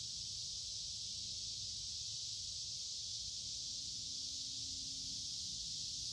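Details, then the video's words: Noisy cicadas singing in woods beside a creek in midsummer, warm and humid: one continuous shrill buzzing wash without pauses, constant in loudness, over a soft low background hum. "Walking along a Creek with lots of Noisy Cicada Insects Singing in Summer"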